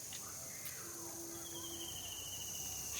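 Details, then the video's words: Afternoon outdoors near sunset, crickets keep up a continuous high, thin trill while two faint steady whistled tones, one low and one higher, sound briefly in the middle, over soft ambient noise. "ঝিঁঝিঁ পোকার ডাক"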